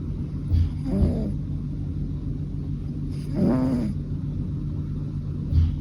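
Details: Fukuchan, a three-year-old male American Shorthair, snoring on 7 October 2023. Two hoarse, buzzy breaths come roughly two and a half seconds apart, with small puffs between them, above a continuous low-pitched background hum.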